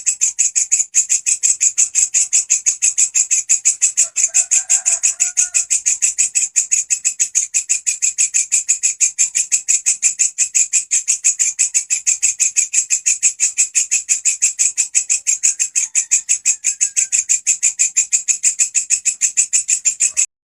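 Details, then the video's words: Grasshopper presented as a 'gacor' master sound for teaching songbirds such as canaries. Its high, rasping buzz pulses rapidly and evenly for the whole stretch. A faint lower chirp appears early on. "Belalang gacor volume pedas !! walang kecek si masteran burung kicauan"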